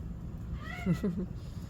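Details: A house cat in the evening gives a short arched meow, rising then falling over about half a second, while a person talks in Korean close by over a low hum.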